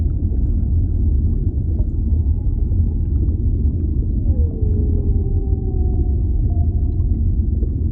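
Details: Whale in an underwater ambience recording: a clear moan slides down, then holds a long, steady, slightly wavering tone, over a constant deep underwater rumble.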